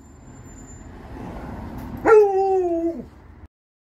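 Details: Alaskan Malamute or Australian Shepherd puppy greeting its owner coming home: one loud, sudden, vocal howl-whine rising sharply, holding a level tone for about a second, then dropping off, after a low rumbling background.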